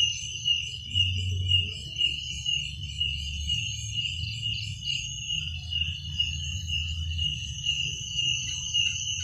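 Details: Chorus of crickets after dark: constant shrill trilling, gently pulsing about twice a second, with a low murmuring hum beneath.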